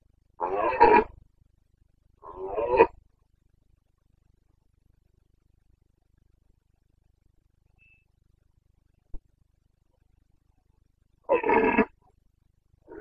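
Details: During the 2022 rut in Bucovina, a Carpathian red deer stag belts out two short guttural roars about two seconds apart, then a long quiet gap, a faint click, and a third hoarse roar near the end.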